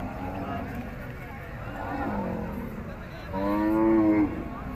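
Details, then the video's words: A bull at an animal market gives one loud, drawn-out harmonic moo near the end, rising slightly then falling, with murmuring voices and background market noise throughout. "Beautiful bull of cow at Animal Market || Big Cow Bull Video"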